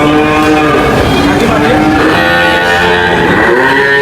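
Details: A short burst of overlapping cow moos, droning harmonic calls that dip and rise, layered over a busy, noisy background.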